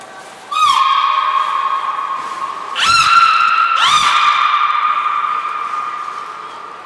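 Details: Captive belugas Hodoi, Gray and Mirai during a training session at Port of Nagoya Public Aquarium, 1 December 2019: three loud, sustained harmonic tones, each starting with a sharp upward sweep and then holding steady, overlapping one another.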